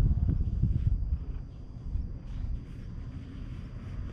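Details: Pulsing, throaty purr from a stray cat lying on a lap at a shrine, GoPro HERO8 recording. Loud rhythmic throbs at first that fade into a softer rumble.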